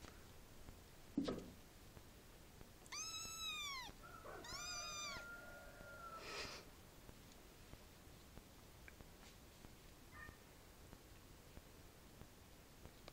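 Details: White kitten at play gives two short, arched meows about a second apart. A steady, flat squeak overlaps the second, an earlier thump comes first, and a faint hiss runs in the background.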